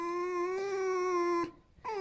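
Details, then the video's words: Pet red fox indoors keeps squeaking, demanding to be petted and hugged rather than hurting; a level whining tone for about one and a half seconds, a brief pause, then another squeak begins falling in pitch. "Как выключить скрип лисы"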